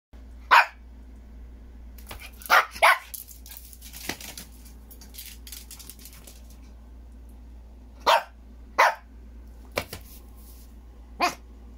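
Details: A Maltese dog barks angrily in sharp, high-pitched barks, singly and in quick pairs, spaced irregularly.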